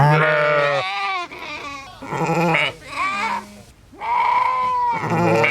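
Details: Sheep bleats, some overlapping: a low steady call, then quieter wavering ones, and finally a higher, rising bleat.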